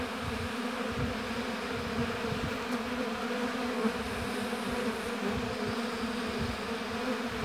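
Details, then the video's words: Many honey bees humming together at their apiary hive; an even, unbroken buzzing drone holds steady from start to finish, with flickering low rumble beneath and nothing else standing out. "Busy Bees Buzzing Sound"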